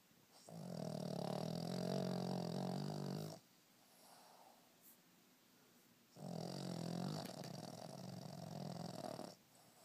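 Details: A 4-year-old Boston Terrier snores loudly, as he does every day, in long, rumbling, low-pitched breaths with a quiet pause between them.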